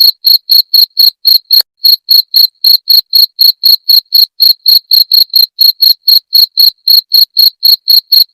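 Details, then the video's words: Steady high-pitched cricket chirps, meant to scare off rats, repeat roughly four times a second. Each pulse is clipped and buzzy, and one slight hitch with a click breaks the rhythm early on. "Suara Jangkrik pengusir tikus"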